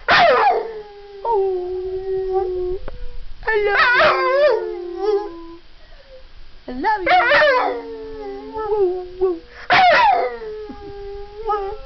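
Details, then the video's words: Puppy "talking" to his owner to say he loves her: four bouts of vocalising, each opening with a sharp yelping burst that slides into a long steady howl, separated by short pauses with faint woofs. "ringo the talking dog"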